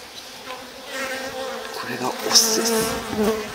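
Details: Japanese honey bees, drones among them, buzzing at a log-style stacked-box hive as its sliding bottom board is opened in spring before swarming season; a steady humming drone with bands near 250 and 500, brief clicks and a man's voice nearby.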